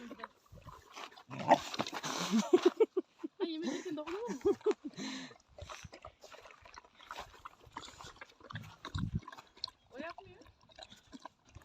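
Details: Newly acquired Sivas Kangal pups, future flock guardians; the very angry male pup guards its food jealously from the female pup and a chicken while eating. Short, wavering, whiny growls rise and fall among human voices and laughter.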